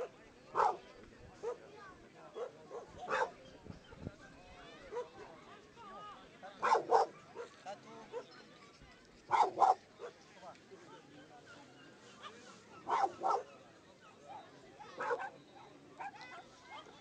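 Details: Black Brussels Griffon dogs giving sharp, short barks in irregular bursts, about six over seventeen seconds, some as quick doubles, with quieter murmuring sounds between them.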